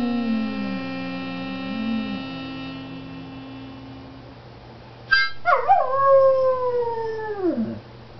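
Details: Sustained musical tones fade out, then after a brief quiet the dog September, singing to "The Love of Bones", lets out a sharp onset and a loud drawn-out howl that slowly falls in pitch over two seconds.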